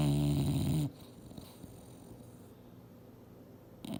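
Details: Female English Bulldog sleeping and dreaming hard on a couch indoors, snoring: one loud, low, rumbling snore with a throaty buzz fills the first second, then near quiet, with another snore just starting at the end.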